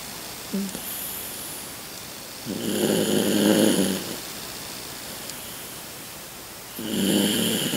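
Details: A sleeping 16-year-old Toy Poodle breathes with slow, raspy snores, each over a second long; its sleep breathing has grown louder with age.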